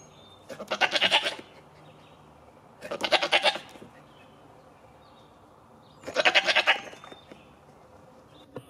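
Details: Playful goats: three loud, wavering bleats, each about a second long with a quick vibrato, spaced roughly every two to three seconds against a quiet background.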